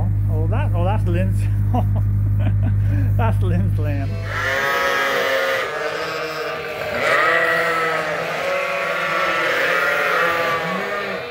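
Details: Domestic sheep on Ewetopia Farms during daily feeding chores. A brief low hum and voice come first, then a dense chorus of overlapping wavering bleats from the flock.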